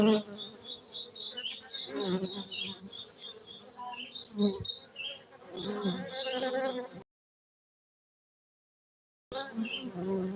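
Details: Hum of cultivated honey bees at a Gayo apiary in Bener Meriah, Aceh, Indonesia: a continuous low buzzing chorus with shifting whines from passing insects, cut by a sudden silence of about two seconds before the droning resumes.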